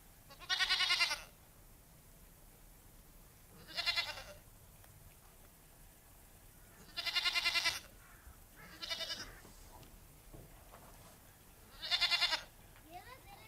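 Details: Goats at a village goat farm bleating five times over about thirteen seconds, each call a strained, vibrating cry lasting around half a second to a second, spaced unevenly with quiet rural background between.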